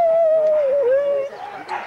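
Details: Husky at a sled dog race weekend in the Forest of Dean, November 2001, taped on VHS: a steady, level howl, slightly dipping midway, then fading into faint background murmur.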